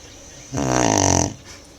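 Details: A single deep, vibrating snore from the sleeping Tibetan Mastiff Manjurhi, a rattling, growl-like inhalation lasting under a second, surrounded by quiet room hush.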